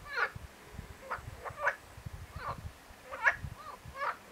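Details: Marsh frog (Pelophylax ridibundus) producing a string of short nasal, pulsed croaks at irregular intervals, roughly one every half second, over a faint low background rumble.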